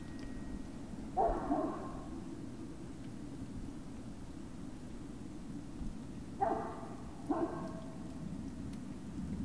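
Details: Great Dane puppies at Puppy Hill on the evening of 19 February 2019: one drawn-out harmonic yelp early, then after a long pause two brief yips about a second apart, with constant low-frequency hum underneath.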